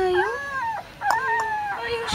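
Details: Red male Pembroke Welsh Corgi puppy, filmed 10 September 2014, giving high, drawn-out whining yelps that rise and fall in pitch, with a woman speaking softly and soothing words around it.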